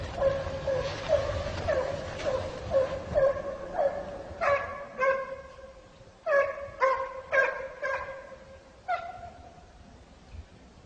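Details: A Kopay hound gives voice while trailing a hare in snow, a run of clear, ringing yelps with a slightly falling tone in uneven bursts about twice a second, some close and loud, others fading.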